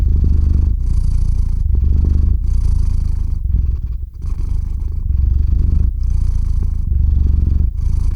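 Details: House cat purring as it drifts off to sleep, close-miked indoors; steady deep rumble in breath cycles of roughly a second, with a short dip in loudness midway, no other sounds.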